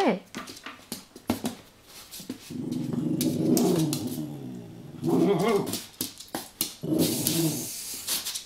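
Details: An Italian greyhound playing indoors with a wind-up toy makes drawn-out, rumbling growls in several bursts, mixed with clicks and clatter from the toy and floor, and a person's voice nearby.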